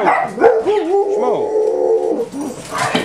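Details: A typical morning at home with six pet dogs, Esther, Becky, Doxie, Sandy, Pudge and Buddy. Sustained, wavering whines rise and fall in pitch, drawn out like a soft howl for about two seconds, bracketed by short yips.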